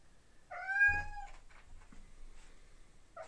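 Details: A male domestic cat gives a loud, drawn-out meow, mourning his female companion and wanting to get to her through a closed door.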